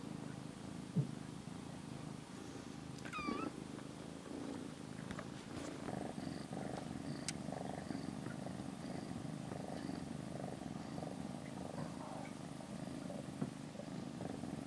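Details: Rescued kitten on its 27th day in care, sleeping beside another cat and touching its hind leg in a cat room; steady low purring throughout with a few faint short mews and light rustling.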